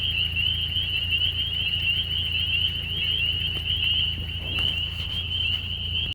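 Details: A steady, high, shrill frog trill in spring rings on without a break, with a low rumble underneath.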